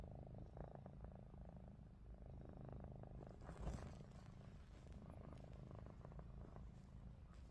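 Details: Ruby, a domestic cat, keeps snoring with open eyes as Lupin, a Russian Blue, hovers beside her; continuous low rumbling breaths, broken near the middle by one brief sharp knock.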